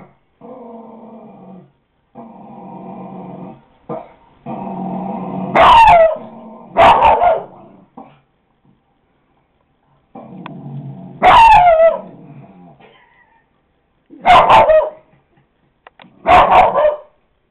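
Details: Indoors, the dog Coco growls and barks at a dog on a computer: stretches of low rumbling growl broken by about five sharp, loud barks, with a person urging the dog on; Kodak DX4530 camera recording.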